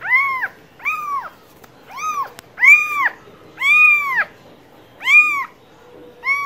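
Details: Cat meowing repeatedly, seven arched harmonic calls of similar length, each rising and falling in pitch, with brief clicks between them and little background noise.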